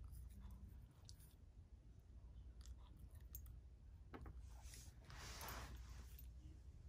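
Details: Chip, a pet dog, eating indoors in a small room; his treats include chicken, raspberries, blueberries, pasta, whipped cream and carob cookies. Irregular wet crunches and bites come in quick bursts, with a brighter crunching spell near the end.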